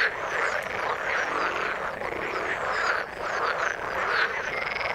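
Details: Croaking frogs in the water, a thick continuous chorus with a short dip near the three-second mark before the massed calling swells again.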